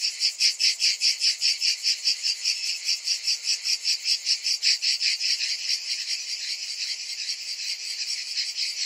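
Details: Cicadas in summer, a loud high buzzing chorus beating in strong rhythmic pulses about two or three times a second, the pulsing softening and blurring after about six seconds into a steadier drone.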